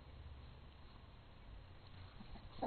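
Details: Rivet, a pet dog, gives low, rumbling play growls while refusing to give up her ball during fetch, turning it into keep-away; a soft, continuous low rumble runs through the clip, with a brief louder sound at the end.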